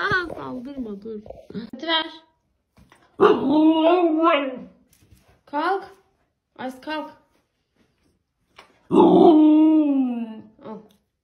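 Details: Indoor Siberian Husky vocalizing in wavering moans and short broken calls, ending in a sustained howl-like note, with a person talking in Turkish between its calls.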